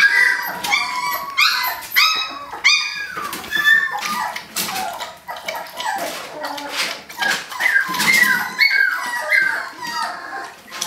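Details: A litter of eighteen-day-old puppies tries to escape their kiddie pool, producing a steady chorus of high, bending whimpers and yelps from several pups, with scrabbling claws and faint human voices behind.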